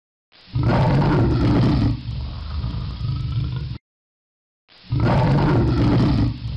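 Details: Jaguar roaring: a deep, rumbling roar lasting about three seconds, strongest at the start and fading to a rougher rumble. A brief silence follows before a second heavy roar begins.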